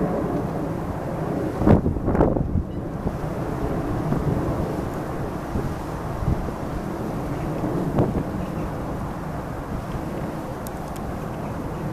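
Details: Steady low rumble of wind and distant engine noise, with a few brief thumps, and no animal calls.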